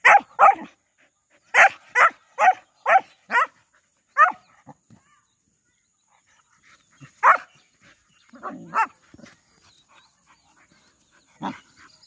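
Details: Saint Bernard playing with local dogs. An opening burst of two barks, then rapid loud barks roughly every half second, followed by scattered single barks and a low grumble after pauses.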